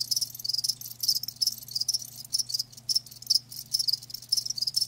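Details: High, bright chirps from live crickets come in rhythmic clusters about every half second, a shrill insect chorus over a faint steady hum.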